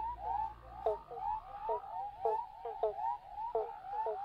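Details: A chorus of male Western Spotted Frogs (Heleioporus albopunctatus) gives short, rising, overlapping hooting notes, calling for mates from underground burrows in the Dumbleyung area, Upper Great Southern, Western Australia.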